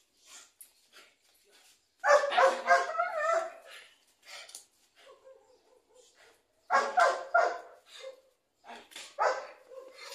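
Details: An 8-month-old Belgian Malinois puppy in a guard-dog bite test, tugging a sandal from a hand, barks in harsh, excited bursts with quieter whines and yips between them.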